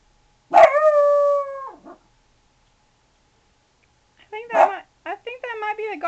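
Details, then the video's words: Sailor Bear, a 4-month-old puppy guarding against the garbage man, lets out a drawn-out wavering howl, then after a pause a sharp bark followed by whining yips and rising-falling cries. "Sailor Guarding Against Garbage Man"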